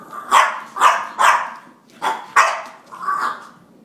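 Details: Angry French Bulldog fighting with a drink shaker, giving six short, harsh barks at uneven intervals over about four seconds.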